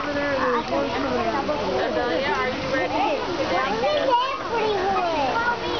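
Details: Many sea lions calling together at the start of spring: bending, harmonic honks and bleats layered into a steady din, with a faint background wash of water.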